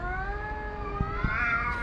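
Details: Homeless tomcats in a vocal standoff over a female house cat; a single steady drawn-out yowl, slightly rising at the end, with soft thumps and low rumble behind.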